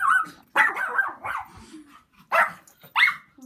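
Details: Puppy barking at a loud passing helicopter: several sharp, harsh barks in quick bursts with a short yelp rising at the end, separated by brief pauses; laughter and talking nearby.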